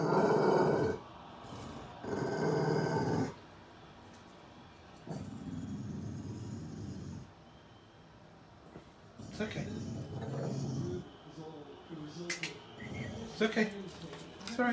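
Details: Rescued Staffy-Ridgeback mix Lizzie guards her owner from someone outside the door; loud rumbling growls open the sequence, then quieter stretches follow with a calming human voice and later scattered clicks and knocks.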